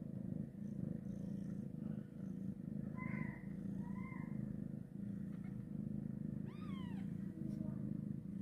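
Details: Steady, low purring from a mother cat moving her kitten after birth. Two soft, short mews come around three and four seconds, and a brief, descending high squeak is heard near the end.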